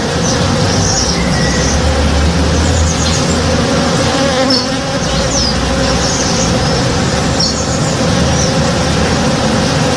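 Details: A flowering backyard tree full of working honey bees in the morning gives a rich, unbroken buzzing hum, slightly wavering in pitch, with several short high bird chirps scattered through it.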